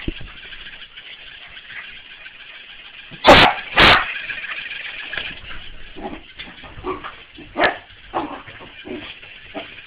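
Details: A corgi playing with a mechanical ball gives two sharp, loud barks in quick succession, followed by softer grumbling yips and huffs, over a steady mechanical whirring hum.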